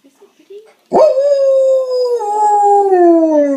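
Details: An Alaskan Malamute howls while watching a video of a Malamute puppy, giving a long, sustained howl that slowly slides downward in pitch.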